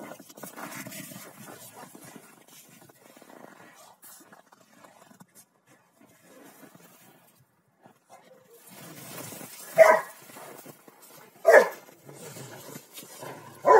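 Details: Two pet Rottweilers, Malysh and Sam, playing king of the hill: after quiet rustling, three loud, sharp barks ring out a second or two apart near the end.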